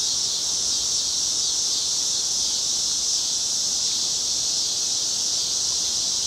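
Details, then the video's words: A steady, piercing wall of buzzing from summer cicadas along a Chicago street at evening, cloudy August 2010; the shrill tone never pauses or shifts. "Chicago Summer 2010 Cicadas - Evening"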